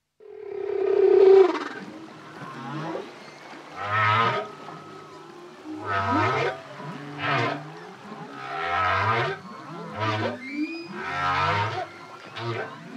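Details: Solo male humpback whale singing: a long tonal moan opens, then deep whoops alternate with bubbling, broadband bursts in regular phrases about every two seconds.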